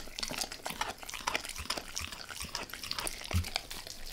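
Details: Wet, smacking mouth sounds from Max the dog working at a beef rib indoors, a quick run of crisp clicks and slurps with a single deeper thump toward the end.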